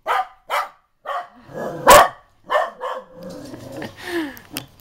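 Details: Pet dog named Scott, angry when his owner mimics him: short sharp barks and yelps in quick bursts, the loudest near two seconds, alternating with a man speaking Italian and imitating the dog, followed by lower grumbling sounds.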